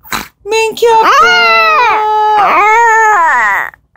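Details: Indoors, black-and-tan long-haired Chihuahua Mingki responds when her owner calls: two sustained howls, the first long and level with a rising start, the second swelling then tapering off.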